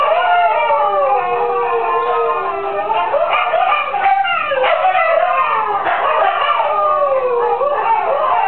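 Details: Siberian husky girls howl along with neighbouring chickens, a mix of smooth drawn-out wails and quick rising yelps, voices weaving together steadily.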